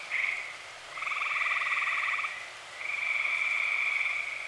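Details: Dozens of tree frogs trill together at night in early summer in Eastern Pennsylvania, in long rapid pulsed bursts that rise, hold and fade with short gaps.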